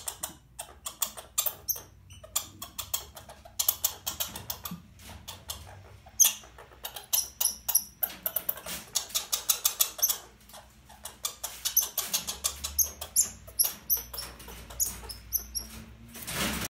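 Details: Captive red squirrel, overwintered after arriving late as a baby, furious at being handled during transfer to a larger cage: sparse sharp high squeaks amid rapid rustling, scratching and clicking handling noise.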